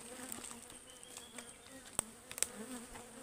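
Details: Wild honeybees at a beehive being harvested in the forest give a steady low droning hum with faint overtones, broken by sharp clicks and taps from the work around the hive.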